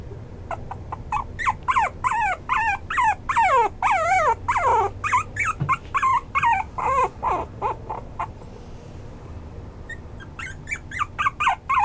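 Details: Maltipoo dog, a mix of toy poodle and Maltese, yelping and whimpering in long insistent runs of quick, high, falling cries, more than two per second, pausing briefly before resuming.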